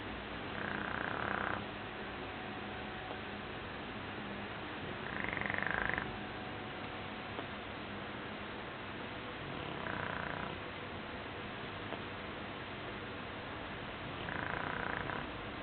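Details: Asleep and dreaming, Shar Pei Joshua snores in four slow, evenly spaced breaths about four seconds apart, each a rough pulsed rasp, one carrying a clearer whimpering tone, against constant soft hiss.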